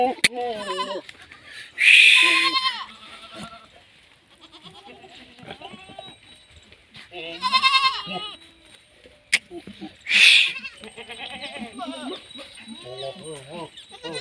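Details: Goats at a goat farm in Rajasthan, India, bleating in loud, quavering, harmonic-rich bursts around two, eight and ten seconds, with people talking in between.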